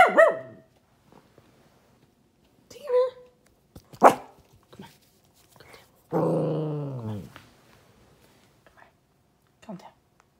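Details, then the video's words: Pet dog barking out a window while sad: a few scattered short barks and yelps, then a sustained, falling whine lasting about a second, with faint voices and household noise between calls. "My dog being sad and barking out the window"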